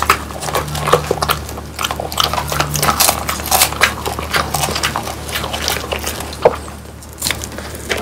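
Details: French Bulldogs Pang, Kun and Ppo indoors chewing home-dried whole quail, bones and all; sharp crunches and bites come in quick irregular bursts, with a low steady hum under them.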